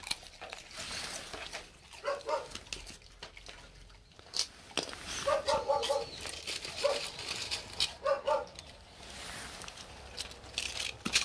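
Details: Jindo pair Geumdong and his daughter Janggeum, rural village dogs in Gochang, Korea, wait at the door for snacks; brief nasal whining bursts come in short clusters between background rustling and clatter.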